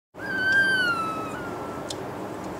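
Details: Newborn Bernese Mountain Dog puppies in their first days, in a litter of ten: one long thin squeal, slightly falling and fading over about two seconds, over a steady background hum.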